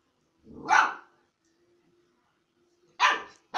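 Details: A puppy gives a single loud rough bark, a pause with faint hum, then two more sharp barks in quick succession.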